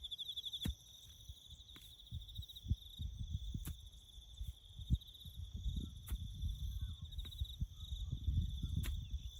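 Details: A steady, shrill cricket trill carries on beneath bush farm work, over a base of low thudding and rumbling noise punctuated by repeated sharp clicks.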